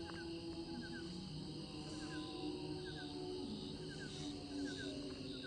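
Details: A steady night chorus of crickets among fireflies, a continuous high trilling with short paired chirps repeating.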